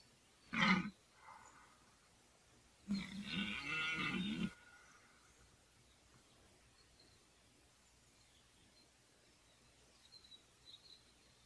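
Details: Red deer stag in the 2014 rut, likely a fourteen-point stag: one short loud grunt, then a rough, raspy bellow of about one and a half seconds, followed by quiet with faint distant sounds.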